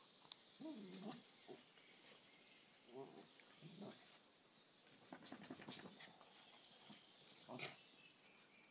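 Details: Sára overpowering Ceasar in a dog fight. Short, moaning growls rise and fall in clusters early on, then fade under scuffling clatter and brief snarls near the end.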